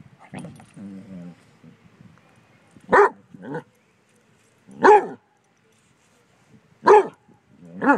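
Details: Basset Hounds confronting a bumble bee, giving deep resonant barks about every two seconds, some followed by a shorter second bark, with quiet grumbling at the start.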